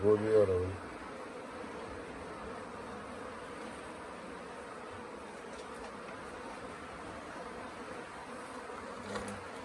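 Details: Late-season swarm of honey bees at the Tamarind Tree Hotel, indecisive about settling in a nuc box during capture: a continuous even buzzing drone, with a brief human voice at the start and a faint one near the end.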